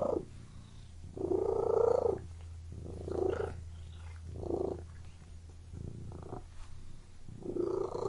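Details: A domestic cat purring, with six uneven throaty pulses of breathy, buzzing sound. Longer swells alternate with short ones over a faint steady low hum.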